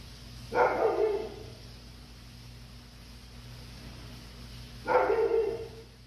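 A Labrador Retriever gives two drawn-out, hoarse barks about four seconds apart.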